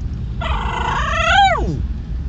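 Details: Pet dog Levi from Sacramento, California, 'talking' while wanting McDonald's food. A single drawn-out, harmonic, whine-like vocal rises slightly, then bends sharply downward and fades after about a second and a half, with low background rumble.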